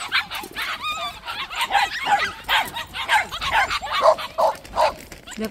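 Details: Several white puppies in a plum orchard yip and bark in quick, uneven bursts about two to three per second, with whining mixed in and a woman's voice speaking over them.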